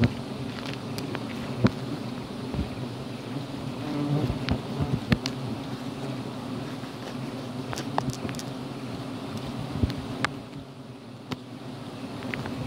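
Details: Forest honey hunt at a giant honey bee nest on Gunung Bongkok in Jampang, Sukabumi, teak and calliandra flowering nearby; dense continuous buzzing drone, slightly swelling midway, with scattered tapping and rustling noises throughout.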